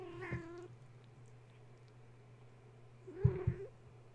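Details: Kittens belonging to the cat Gaia, wound up at bedtime after a space heater was plugged in, give two short, low meows, one at the start and one near the end, separated by quiet over a steady hum and a couple of thumps.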